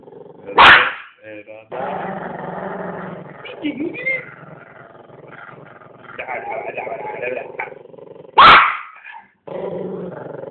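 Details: Chihuahua playing with his new toothbrush, growling low and steadily, with two sharp, loud yelping barks near the start and end; music and a person's voice can be heard in the background.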